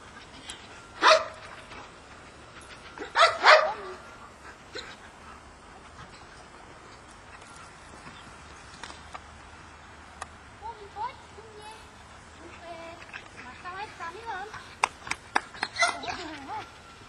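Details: Tomi, a Labrador at obedience training, barks loudly in short bursts: one bark, then a double bark, a quiet stretch with faint whines and voices, then a quick run of barks near the end.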